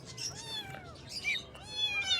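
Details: Morning kittens meowing: long, bright, bending meows, one drawn out over most of a second, then a higher, rising call near the end, over steady low background hiss.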